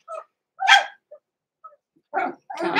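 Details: Six-week-old blenheim Cavalier King Charles Spaniel puppies, Roman and Blue, indoors in a puppy pen: short high yips and barks with pauses, a louder bark near the start and two rough bursts at the end.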